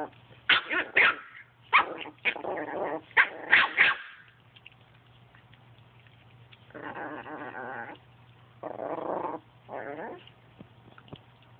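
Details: Chihuahua playing with a Boston Terrier: a quick run of sharp, high barks over the first four seconds, then three rough, rumbling growl bursts after a pause, with a steady low hum underneath.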